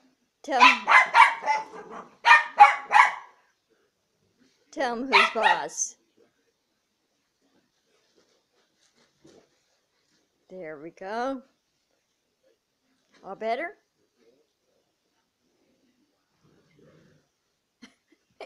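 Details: Mason, an almost 200 lb Neapolitan Mastiff, leg wrestling in play with his owner and chased by his little sister Mia; loud harsh barks burst out in a quick cluster over the first three seconds, another near five seconds, then sparse quieter voiced sounds amid long silence.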